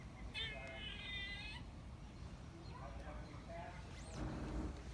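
A squirrel gives a harmonic, cat-like mew lasting about a second, over a steady low rumble.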